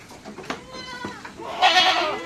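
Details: Goats in summer, fed salt and molasses drinks, give short nasal bleats that end in a louder, harsher, breathy cry, with tapping and knocking sounds around the pen.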